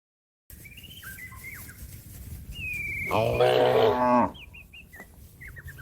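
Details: Cattle calling its companions to come back to the pen: a single long, loud, harmonic moo lasting about a second, with small birds chirping and whistling before and after against a steady outdoor background hiss.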